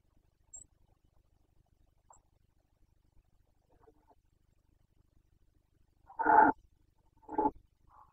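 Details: Carpathian red deer stag in the 2021 breeding season, Bucovina, giving the rutting roar called boncănit: two short, harsh, rasping bursts about a second apart after a quiet stretch with faint scattered ticks.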